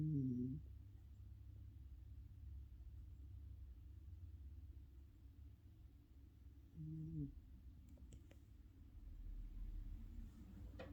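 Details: Sleeping Chihuahua Juneau, an adopted rescue female lying curled by a heater vent one morning, gives faint content snores: a short low hum at the start and another around seven seconds, with light clicks afterward over steady low background hum.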